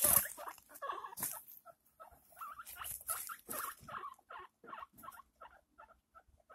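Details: Pet guinea pig giving birth to six pups: a run of short, soft squeaks with a harmonic tone, repeated roughly once a second and growing more spaced, over light rustling of bedding at the start.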